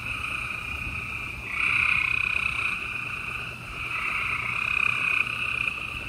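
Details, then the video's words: Spring night chorus of gray treefrogs in Houston, Texas, April 28, 2020: several buzzy, pulsed trills overlap into a nearly continuous drone that swells louder and then fades. "Gray Tree Frogs Chorus"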